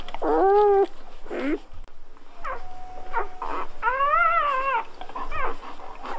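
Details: Newborn Golden Retriever puppies just after birth, squeaking and whining: high harmonic wails rising then falling, in bursts of about half a second to a second, with short chirps between and soft handling noises behind.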